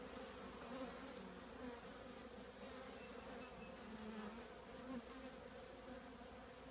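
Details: Trash can colony of honey bees, filmed up close before removal; a thick, steady buzzing of many bees with small swells in loudness and brief higher whines of individual bees flying past.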